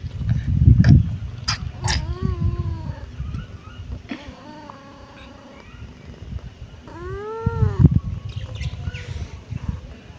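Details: Kitten giving drawn-out, arched meows that rise then fall, two clear calls several seconds apart, amid rustling, thumps and low handling noise.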